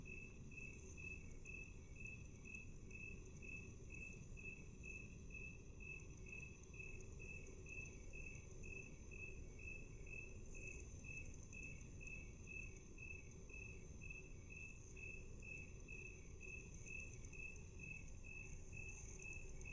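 A cricket's steady chirping, slowed to half speed, in short even pulses with a low rumble beneath.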